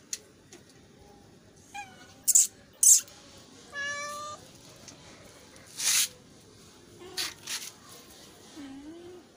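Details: Hungry kittens meowing for food: a short falling mew, then a longer, steady, harmonic-rich mew midway, with sharp knocks and clatter around them and faint low sounds later.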